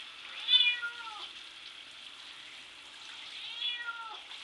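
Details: Bubby the cat protests being bathed, meowing at the shower door: one loud falling meow early, then a fainter second one after about three seconds, both over constant rushing water.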